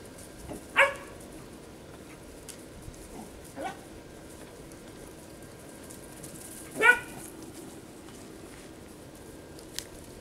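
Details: Playing Kerry Blue Terriers, Baylee (one year) and George (15 weeks), meeting for the first time; two clear barks roughly six seconds apart with a smaller yip between, over a quiet background.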